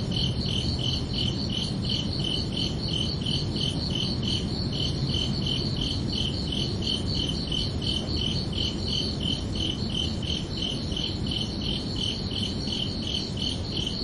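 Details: Night-time cricket chorus on a summer evening, a continuous train of evenly spaced high chirps, roughly three each second, with a steady low-frequency rumble underneath throughout.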